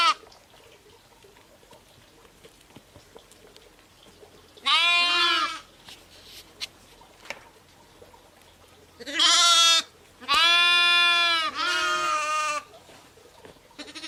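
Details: Ewes and lambs bleating: after a long quiet stretch, three separate harmonic bleats come at irregular intervals, the last two close together, each roughly a second long and steady in pitch.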